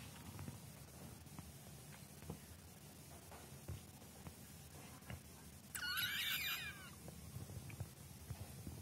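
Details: Kitten being trained as a pet; one brief, high, strained meow with rich overtones lasting about a second near the end, otherwise only quiet indoor hiss and faint clicks.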